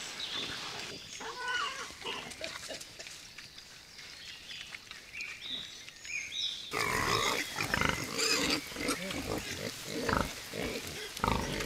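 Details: Group of wild boars observed at Kulikovo Field, a museum-reserve where hunting is banned; rough, irregular grunting and snuffling in quick, uneven bursts, growing louder and denser in the second half over outdoor background noise.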